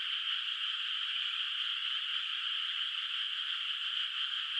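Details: Frogs calling at night from a moonlit rice field whose water has no rice planted yet, heard from a distance: a dense, unbroken high chorus with a steady buzzing shimmer and no pauses, nothing else audible.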